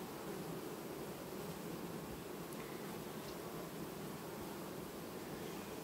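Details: Honey bees, a colony replacing its queen calmly on 18 August 2019, keep up a thick low buzzing drone with slight swells in loudness and a faint tick or two in the background.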